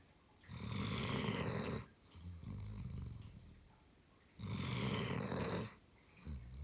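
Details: German Shepherd snoring in its sleep, two long rasping inhaled snores about four seconds apart with gentle wheezy breathing in between, recorded indoors.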